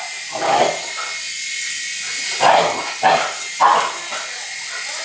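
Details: A male Shiba Inu gives short, sharp barks in uneven bursts, spinning in circles at a flying remote-control toy helicopter, whose steady high motor whine is heard; 20 June 2012.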